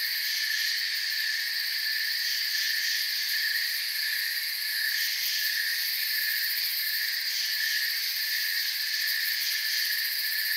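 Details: Continuous chirping of crickets under a forest canopy at night, multiple overlapping high trills blending into a steady shimmering drone, gently fluctuating in the upper layers, with no birds, water or people audible.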